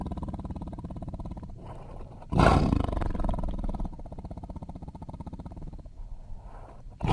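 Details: Tiger. A tiger produces a low, pulsing growl rich in deep rumbling tones. Midway it bursts into a louder, harsh roar, then settles back into steady throaty grumbling before another sharp outburst at the end.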